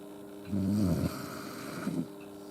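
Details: An Akita named Yuki snores heavily while sleeping beside the stove with its owner under a thin futon as snow keeps falling. A loud, low, rumbling inhale is followed by a shorter, softer snort-like snore, over steady background hum.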